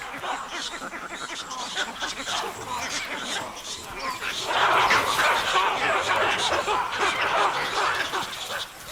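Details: Baboons give a rapid, overlapping chorus of harsh barks and yelps as alarm calls, ganging up with vervet monkeys and squirrels to drive away leopards, with a narrator's voice underneath.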